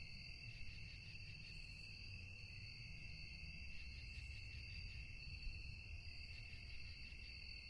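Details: Crickets calling at night: a steady, unbroken high trilling drone in layered bands, with a faint flutter running through it. A low rumble of background noise sits underneath throughout.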